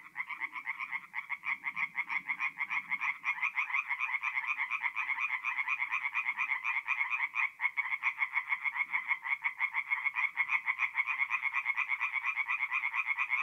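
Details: Nocturnal chorus of tree frogs at a forest pond in north-east Italy, mid-April: many males croaking together in a loud, rapid, rattling stream of pulses, with faint low murmurs beneath early on.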